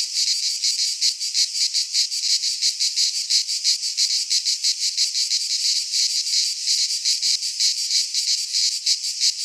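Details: Midsummer cicada chorus from a pine forest in Greece, a loud unbroken shrill buzz pulsing quickly and evenly, several insects overlapping, nothing else audible.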